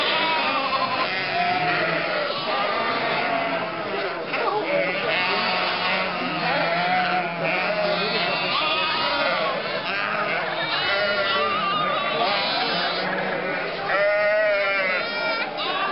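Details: A mixed flock of almost 1,000 sheep, lambs and goats moves from winter to summer pasture through the lanes of Mörnsheim, Altmühltal, in May 2012. Repeated quavering bleats, one loud and clear near the end, sound over continuous voices from the crowd.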